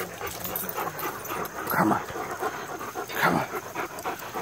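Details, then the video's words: Sassy Greyhound attacking a screen that shows Rottweilers King and Prince Moose and German Shepherd Glacier; two short, sharp broadband dog outbursts about a second and a half apart, over a continuous background of a Spanish-language song with singing. "Sassy Greyhound attacks screen"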